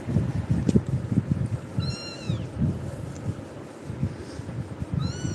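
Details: Kitten frightened by Tiger meows while being settled by a person: a clear downward-curving meow midway and another rising one at the end, over steady low thumping and rustling.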